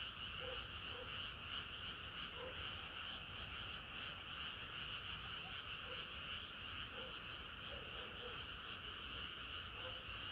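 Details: Frogs singing together on a hot summer night: a dense, even chorus of rasping croaks with occasional short lower calls popping out, steady throughout.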